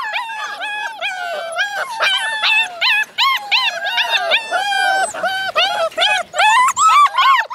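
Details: Alaskan Malamute puppies, part of a litter of eight born to Minnie in February 2013, howling together. Clear, tonal, bending wails are repeated rapidly, several voices arching up and down over one another with brief pauses between bursts.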